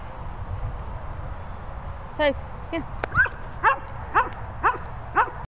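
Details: German Shepherd at a dog training and boarding kennel in the Worcestershire countryside, giving a series of short barks roughly every half second after a call from a person, with faint background hiss.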